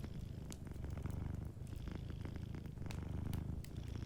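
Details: Close, full purr of a dozing cat near a fireplace: a strong, low pulsing rumble rising and falling every second or so, with light crackling of burning wood behind.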